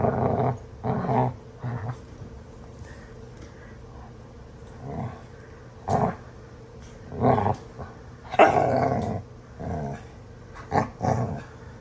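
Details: Two dogs, Astrid and Brielle, wrestling in rough play; deep rumbling growls surge in repeated bursts every second or two, punctuated by sharp snarling yips, with the growling sounding fierce though playful.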